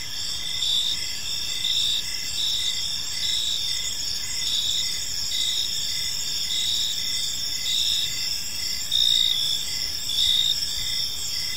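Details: Park crickets at evening keep up an even, shrill chorus of chirps, pulses repeating steadily with a few louder bursts near the end, over faint low ambient noise.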